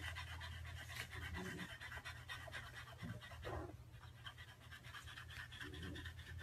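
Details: Rapid dog panting, roughly two breathy huffs per second in an uneven rhythm, set over a constant low droning hum with a few short louder bursts.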